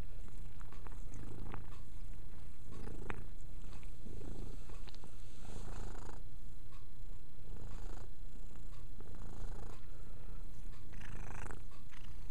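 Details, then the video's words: Domestic cat named Mia purring steadily while cleaning herself indoors; a continuous low rumbling purr with soft licking and rustling ticks scattered throughout. "Mia purring, and cleaning."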